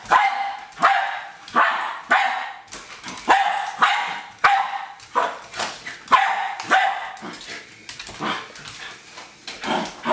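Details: Excited barking from Hali, a pet Jack Russell Terrier attacking a remote-controlled toy car, with a steady string of sharp barks, some in quick pairs, over ten seconds and faint scuffling between them.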